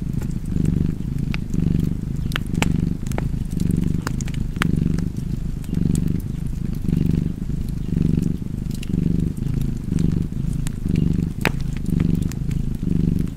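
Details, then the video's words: Domestic cat purring steadily with a low, rumbling pulse that swells and fades about once per second, while sharp fireplace crackles pop over the top. "Purring Cat and Fireplace 4K / Wallpaper Tv Art Çerçeve / Cozy Purring Cat ASMR / Kedi Mırlaması"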